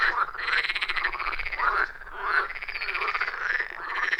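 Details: Many frogs croaking together at a quiet forest pond deep in the woods, iPhone 14 Pro with Shure MV88+ microphone; buzzy, pulsed trills repeat roughly every second in a continuous, unbroken chorus.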